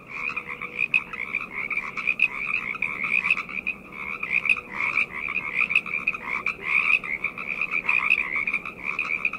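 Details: Frogs calling together at night, a thick continuous chorus of rapid trilled croaks in two stacked bands, swelling and dipping every second or so, with no other sounds standing out.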